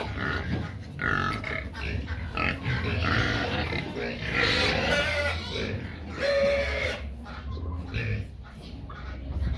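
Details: Pigs noisy while waiting for feed: low grunts underneath bursts of loud squealing, with people talking in the background.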